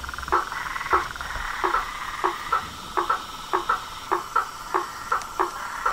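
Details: Chorus of frogs, toads and treefrogs: short clicking calls roughly twice a second over a continuous trilling drone, with a faint high steady hum.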